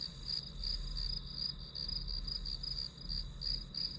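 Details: Grass insects calling, quick high chirps in short bursts about three per second over a shrill drone, with a low humming background throughout.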